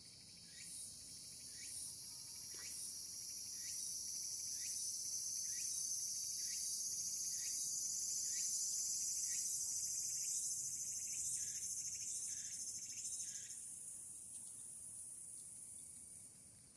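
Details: Tsukutsukuboshi cicada calling on an August evening at summer's end; evenly spaced buzzy pulses repeat about three times per second over a continuous high shrill drone that fades after fourteen seconds.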